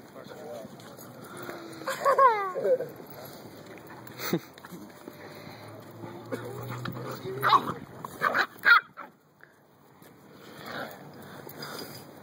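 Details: Puppy yelps and whines: a burst of sharply rising and falling cries around two seconds, then scattered squeaks later, mixed with people talking and household clatter.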